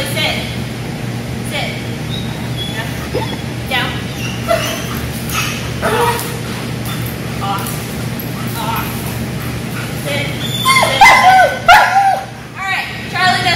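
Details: One-year-old German Shepherd during obedience training in Georgia; sharp, high yelps and short barks burst out near the end after a long stretch of people talking and steady background hum.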